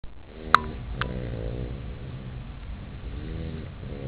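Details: Chester, a puppy deep asleep in his bed, snoring softly: low harmonic breaths roughly every two seconds, with a sharp click near the start and a steady low rumble underneath.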